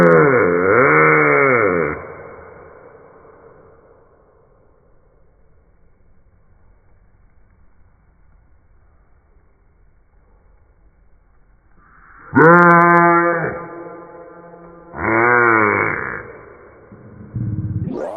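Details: A small bullfrog lets out loud, wavering, bleat-like screams in defence, with a long quiet gap between.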